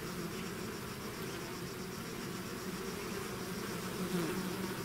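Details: Bees swarming out of their hive make a thick, even hum, several pitched drones overlapping, a nearer bee briefly rising in loudness toward the end.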